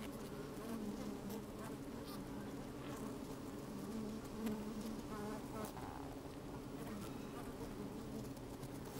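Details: Steady drone of honey bees busy in an open hive, microphone placed inside; low layered humming holds throughout, with a few brief buzzy flares and light tapping from bees crawling, gentle wind in the background.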